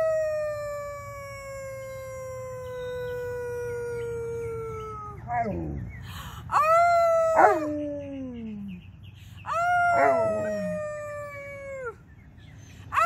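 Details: Alaskan Malamutes Tonka and Monroe howling together on St Patrick's Day, prompted by their owners; long sustained howls sliding slowly downward, broken by shorter rising-then-falling cries, with a person speaking between.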